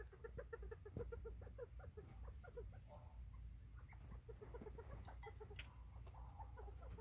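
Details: Bobwhite quail, 24 September 2023, chattering in rapid, irregular strings of soft clucking notes, overlapping one another, above a strong low droning hum.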